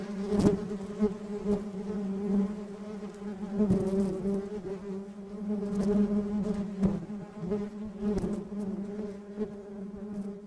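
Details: Buzzing of real honey bees, a softer steady hum with rich harmonics, rising and falling gently in loudness, with several sharp clicks scattered across the recording.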